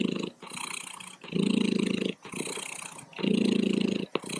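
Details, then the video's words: A cat's continuous purr, soft rattling rumble rising on one breath and easing on the next, the cycle repeating about every second and a half, with a faint click near the end. "Cat Purring"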